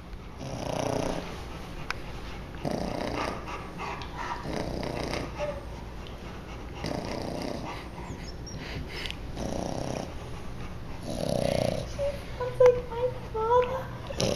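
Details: Adrian, a new English Bulldog, sleeping on top of Rocky, a 150 lb Rottweiler, snoring steadily: low, raspy breaths swelling roughly every two seconds over a constant indoor hum, with faint squeaky sounds near the end.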